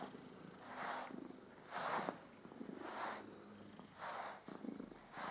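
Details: Domestic cat named Püppi purring contentedly while being groomed, a steady rumbling purr pulsing in broad bands roughly once per second, each inhale-exhale cycle clearly audible.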